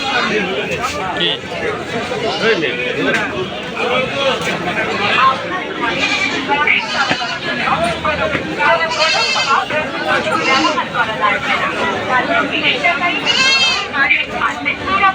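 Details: Goats at a livestock market in Bangladesh, several quavering, wavering bleats rising above a busy crowd; constant chatter and loud talking throughout, with bleats around nine and thirteen seconds standing out clearly.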